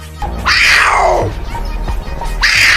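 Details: Puma, one of the cat family's distinctive voices: a loud, high scream sliding steeply downward over almost a second, then a second scream starting near the end.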